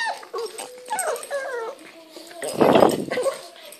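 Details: A Boston Terrier playing roughly with a Pug makes playful whining, yodel-like noises, followed by a rough snorting grunt.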